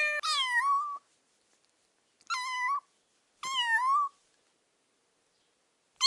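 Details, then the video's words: Small kittens playing with pine cones on grass outdoors; three clear high, drawn-out meows, each bending slightly, about a second apart, then the start of a fourth, with silence between them. "Cute kittens playing with pine cones on the grass - Cat sounds"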